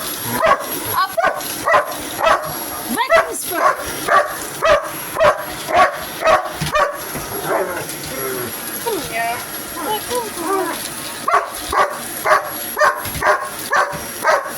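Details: Hogan Bogan the dog attacks a vacuum cleaner with bursts of rapid yapping barks, nearly two per second, pausing in the middle while a person talks, then resuming a steady run of barks over a high whine.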